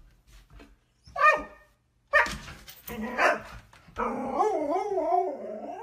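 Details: Dog barking in a few sharp, separate barks about a second apart, then a drawn-out wavering, whining howl that rises and falls for over a second.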